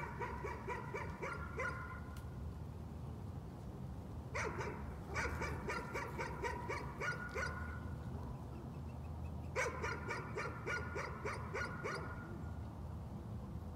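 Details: A dog's nuisance barking comes in three fast bursts of several sharp barks each, separated by short pauses, all over a constant low background hum.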